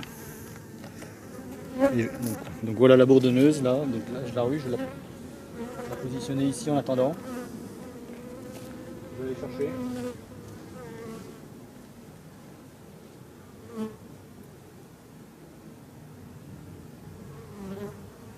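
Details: Buzzing of honey bees from a drone-laying colony, shaken off their frames some fifty metres from the apiary so the laying workers cannot return. Wavering louder sounds early on give way to a quieter, continuous low hum with occasional clicks.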